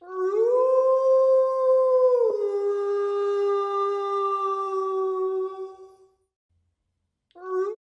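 A wolf gives a long, steady howl that breaks and drops in pitch, then rises again briefly.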